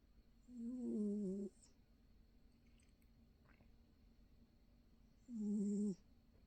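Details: Sleeping female cat snoring softly indoors: two drawn-out, low, buzzy snores, each about a second long, spaced roughly four to five seconds apart, with a faint airy hiss riding on each breath and quiet between.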